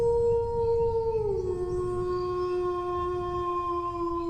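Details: A single prolonged dog howl, high and level at first, sliding down after about a second and then held steady and unbroken to the end; rich overtones over a low rumble.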